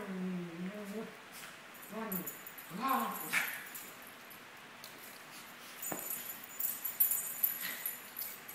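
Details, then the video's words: Maltese pair, 17 months old, at play indoors, giving a run of short wavering whiny growls over the first three seconds, then quieter scuffling, jingling and a faint human voice. "Maltese dogs playing"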